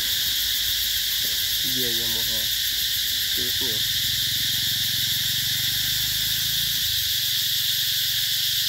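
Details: Summer cicadas at the Mỹ Luôn eco-tourism site, 2021, fill the air with a continuous shrill, hissing buzz. Brief spoken words surface near the start and middle, and a low hum runs beneath the insects' steady drone.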